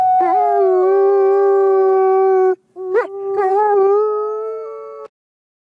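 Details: On a clear autumn day, two captive-born gray wolves howl at the Wolf Conservation Center in South Salem, New York; one gives a long, steady howl, breaks off briefly, then resumes on a slowly rising note.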